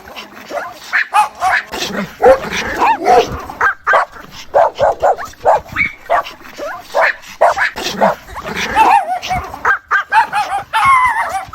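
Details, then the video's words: Dog mother calling to her puppies, heard as a dense run of short yips and whimpering whines, many brief bursts packed closely with barely a gap between them. "MOTHER DOG CALLING HER PUPPIES SOUND EFFECT 🐶 MOM DOG SOUNDS"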